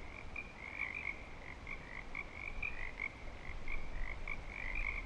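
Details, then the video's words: Breeding-season frogs at Clearwater Commons keep up a dense chorus of quick high trills, notes tumbling irregularly over one another, with steady low-pitched rumble beneath. "Frog Song"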